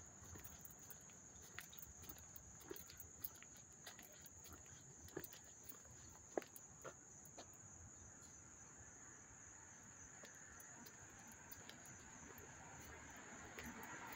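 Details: Up-close cricket chirping recorded August 13, 2024, in Hastings-on-Hudson, New York. A continuous high-pitched ringing drone with fast, pulsing chatter on top, broken by scattered sharp clicks against a quiet low background hum.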